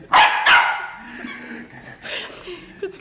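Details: Piper, a joyful Labrador Retriever in Miami, barks while playing with a new toy: two loud, sharp barks in quick succession, then a woman's encouraging voice and quieter background sounds.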